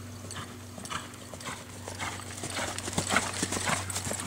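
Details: Hooves of a 2007-born American Quarter Horse gelding trained for reining, clopping in quick uneven knocks, roughly two per second, loudest near the end, with a constant low hum behind.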